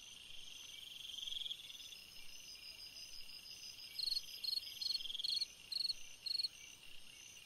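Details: On a summer night a cricket starts a run of sharp high chirps about two per second after a quieter stretch of soft trilling and a steady high insect hum.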